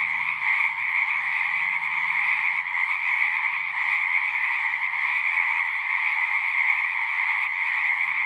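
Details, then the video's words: Pond frogs in a horse pasture, recorded with a Zoom, form a constant chorus of shrill overlapping trills; a faint low hum sits underneath during the first half. "Frogs singing"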